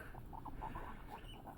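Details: Luna, a pet guinea pig, eating celery with her sons: a run of brief, evenly spaced mid-pitched squeaks, roughly five or six in a second and a half, ending with a small click.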